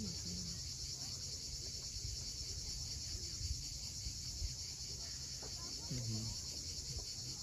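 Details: Sunset chorus of cicadas on the Crimean coast at Cape Fiolent, a continuous shrill buzzing band holding level throughout, beneath which waves wash against the shore and a few short bird notes break through.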